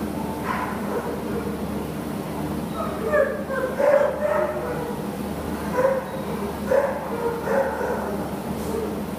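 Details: American Bulldog named Spencer, up for adoption at a shelter, giving short high whining yelps in clusters, some doubled, separated by pauses, against steady low background hum and faint voices.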